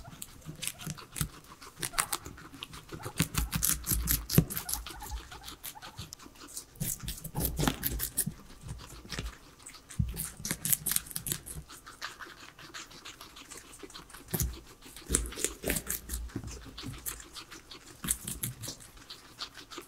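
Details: Three pet guinea pigs eat their vegetable salad with no talking or music; dense, rapid crunching and nibbling clicks come in bursts, louder around the middle and again near the end.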